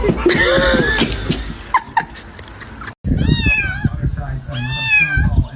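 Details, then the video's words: Cat meowing: after a noisy stretch with voices, two long, high, wavering meows rise and then fall, each lasting about a second, over background talk. "kitten meowing"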